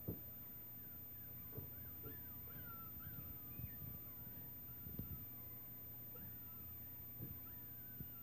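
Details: Six-week-old Schnauzer puppies from Sugar's litter, recorded 11-28-16, give many thin, wavering whines that rise and fall and overlap, with soft knocks and a steady low hum underneath.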